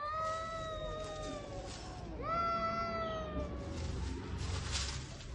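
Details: Stray cats fighting as spring arrives: a long steady wail, then an abrupt louder howl that jumps up and slowly tapers, rich in harmonics, over a low constant hum.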